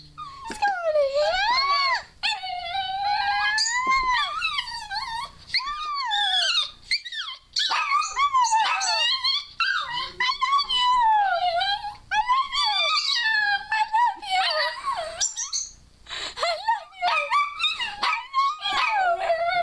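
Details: Pet dog Scarlett, female, in a long 'talking' run of word-like vocalizations, urged on by a person's squeals. Continuous wavering, warbling whine-howls rise and dip rapidly, almost unbroken for nearly twenty seconds.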